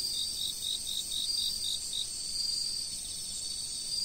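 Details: Chirping insects filmed from a fixed camera: a constant high-pitched buzzing chorus with a series of rapid, evenly spaced chirps near the start, about four per second.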